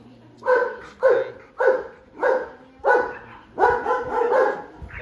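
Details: A 9-month-old Belgian Malinois doing bite work in protection training, its first time with the bite suit; loud harsh barks repeated roughly every half second, five or six in a row, steady and forceful.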